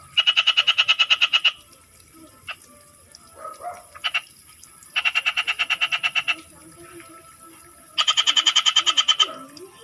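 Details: Frogs in the Philippine countryside calling in three separate bursts of fast, evenly pulsed rattling croaks, each lasting about one and a half seconds, with quieter low sounds between them.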